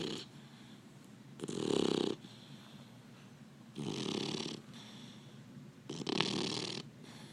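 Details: Labrador Retriever puppy snoring while asleep: three broadband rasping snores, each about a second long, spaced two to three seconds apart, with quiet breathing between them in a still indoor setting.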